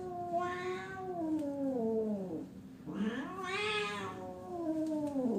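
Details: Fighting cats yowl angrily in long, wavering wails that slide down and then climb again.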